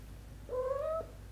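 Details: Coco, a domestic cat caring for her sister's kittens, gives a single clear mew about half a second long, slightly rising in pitch with a steady tone, over a low background hum indoors.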